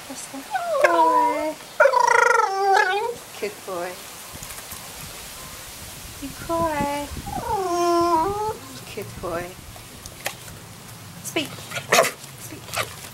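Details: Staffordshire Bull Terrier named Buster learning to cry on cue. Repeated high, quavering whines arrive in uneven clusters, some bending downward, separated by brief gaps, with clicks and handling noises indoors.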